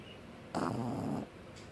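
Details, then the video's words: Pug asleep, giving a single rough, buzzy snore of under a second, broad and noisy with a low hum, set in a quiet indoor room. "Pug Snoring"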